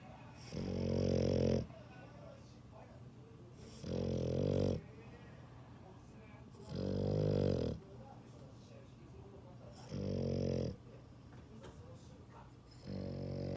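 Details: A sleeping dog snores steadily: five rough, rumbling snores, each about a second long, recurring every three seconds with near silence between.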